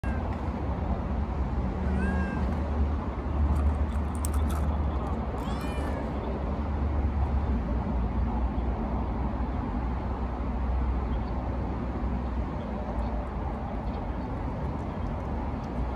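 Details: Stray cats, four of them including a calico, sharing one can of tuna on 240619; two short rising meows near two and five seconds, thin against a heavy, steady low rumble.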